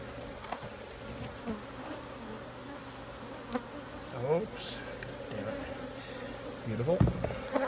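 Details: Steady droning hum of honey bees with a low, even buzz throughout and occasional sliding tones as individual bees fly past, growing louder near the end; faint background murmur.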